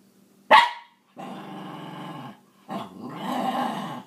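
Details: Scruffy Cairn Terrier named Maggie protests over sharing her toys, opening with a sharp bark, then a steady rumbling growl, and a rising, louder growl that swells toward the end.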